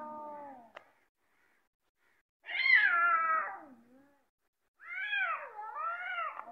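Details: Domestic cats squaring up to fight: a drawn-out wavering yowl, then after a pause a loud rising-and-falling caterwaul, and a third bending, harmonic-rich wail with swooping pitch.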